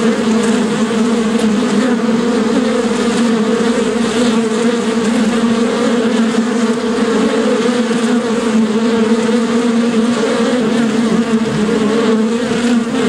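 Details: Continuous drone of bees (shinni) forming an even, thick humming wall of sound with stable low pitches from start to finish.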